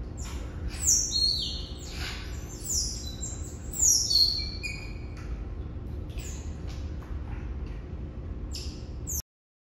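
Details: Asian small-clawed otter pups, a litter of six born at Brookfield Zoo in Chicago on November 18, 2021, with parents Pearl and Adhi. Shrill, piercing chirps and squeals come in quick bursts, loudest near one and four seconds, over a low background rumble.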